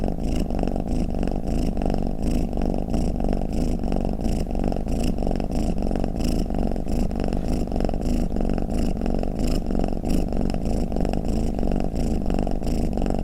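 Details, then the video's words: Domestic cat purring or snoring, a steady low rumble throbbing in soft breath-paced pulses, roughly one or two each second, with no other sounds present. "เสียงแมวคราง เสียงกรนของแมว | snoring cat"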